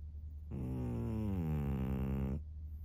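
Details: A single drawn-out snore from Maria, a senior fawn female pug aged 13 in Japan, March 2024: a steady nasal rasp lasting about two seconds over low background hum.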